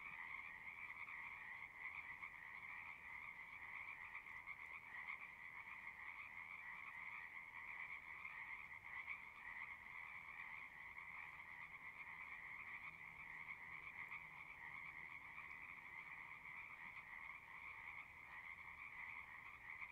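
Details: A continuous chorus of singing frogs, many voices merging into an even, unbroken rasping drone that holds steady for the whole stretch, quiet and somewhat distant, with faint hiss underneath.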